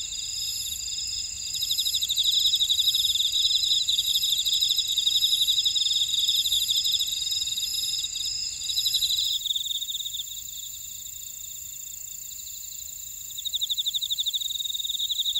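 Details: Insects in a buckwheat field at Ora-dong on volcanic Jeju Island, South Korea, calling in a high-pitched steady ringing chorus with pulsing chirps; one layer of the chorus drops out partway, leaving thinner trilling.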